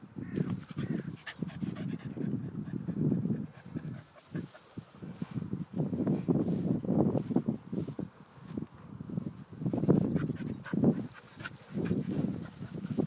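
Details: Two English Springer Spaniels, one four years old and one 21 months old, out on their morning walk: low, breathy panting and sniffing bursts come in long rhythmic stretches broken by brief pauses, close to the recorder.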